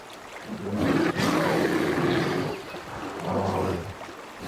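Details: Three-year-old bear cub in the Alaska wilderness in autumn, begging its mother for food ever more aggressively as she rebuffs him; low harmonic moaning bawls in two drawn-out bursts, with rushing background noise between.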